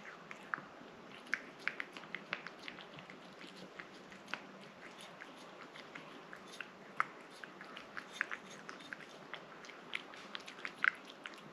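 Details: Rang-i the cat laps and chews a liquid treat in rapid, busy bursts of wet clicking and smacking, a few louder bites punctuating the near-continuous eating noise.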